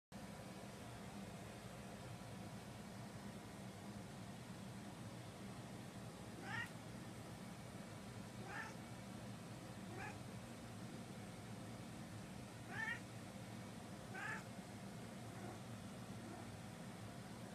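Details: Domestic cat indoors meowing for treats: five short, rising-then-falling meows spaced a few seconds apart, over a steady low household hum.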